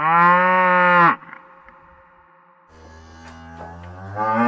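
A cow gives a loud, steady moo for about a second, then another begins.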